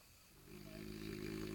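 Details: French Bulldog Jean Paul, coaxed by a man to snore; a droning, low rattling snore swells in and holds steady with fast fluttering texture.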